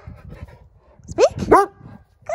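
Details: A dog in trick training barks on the command "speak": two quick, high, rising yelping barks in close succession, preceded by a person's quiet voice and followed by praise starting.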